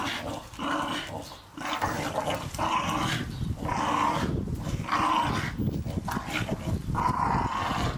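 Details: Staffordshire Bull Terriers playing in a garden with a Christmas gift ball; harsh growling pulses repeat roughly once a second, each a buzzy rumble with a brighter snarl on top.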